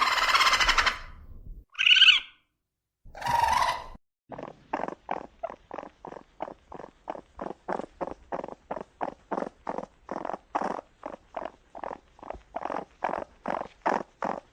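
A raccoon opens with a few rough, breathy bursts, then settles into a steady stream of short chittering notes. The notes come several per second, dry and clipped, with a slightly uneven rhythm.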